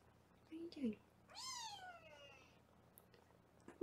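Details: Foster kitten meowing on a live kitten cam in Los Angeles while the kittens are weighed: a brief low voice, then one drawn-out meow that starts high and slides steadily downward for about a second.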